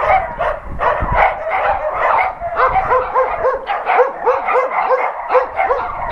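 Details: Several dogs at an adoption center bark together while an NRK TV crew visits, with dense overlapping barks at first, then rising-and-falling whining yelps repeating about twice a second through the second half.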